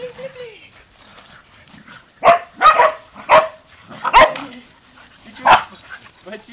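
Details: Dogs at a dacha give five sharp, short barks spread over a few seconds, each a loud broadband burst, while a man talks quietly in the background.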